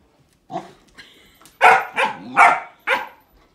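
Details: Puppy named Hollie barking indoors at a grapefruit: a soft opening yap followed by four sharp, loud barks in quick succession over about two seconds.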